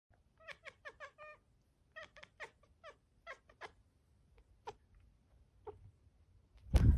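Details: Pet cat hunting, making rapid chattering chirps: quick stuttering bursts of short clicky calls, several in a row, thinning to single chirps, ending with a loud thump.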